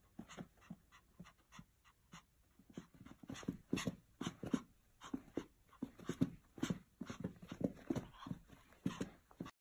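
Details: Pomeranian eager for a game of fetch, wanting the ball thrown; steady fast panting with short whimpering whines, breaths repeating several times a second through the clip.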